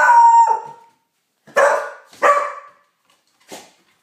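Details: Beagle Pauly howls at the neighbours: a sustained steady tone of nearly a second opens, followed by two rough baying notes about half a second apart and a final faint yelp.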